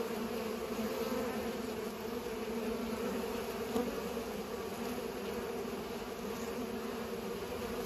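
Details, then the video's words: Pollinating bees filling the air with a steady, layered buzz; a brief soft click near the middle and otherwise only the even hum. "Bees are pollinating"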